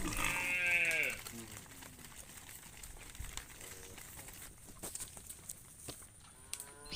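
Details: Cow calling its friend while cows roam in the fields: a loud harmonic moo lasting about a second that drops in pitch at the end, followed by fainter short calls later, with background hiss and clicks.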